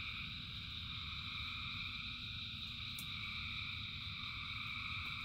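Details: Countless frogs singing during rain keep up a constant, uniform trilling drone in several high layers, with a single sharp click near the middle and steady rain noise below.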